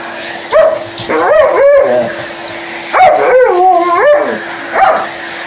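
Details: Alaskan Malamute talking back at a hoover in action, giving drawn-out, bending woo-woo moans and yips that slide up and down, several overlapping phrases in two bursts, with the vacuum cleaner's steady whine beneath.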